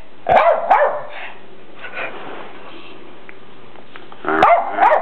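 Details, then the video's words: Rat Terriers Graci and Princess reacting badly to a new red deer buck: a quick pair of sharp barks, a soft pause, then two more urgent barks. "Rat Terriers with Deer"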